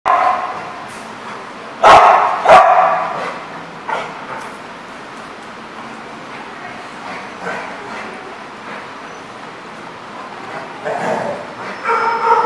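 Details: Dogs at a boarding lot: two loud sharp barks early on, scattered fainter barks and yips afterwards, with people talking in the background.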